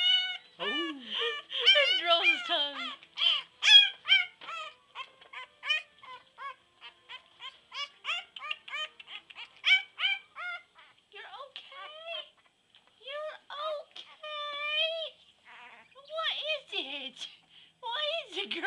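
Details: A female English Bulldog puppy, held while rolling her tongue, howls in high, squeaky whines and yips that rise and fall in quick, uneven bursts.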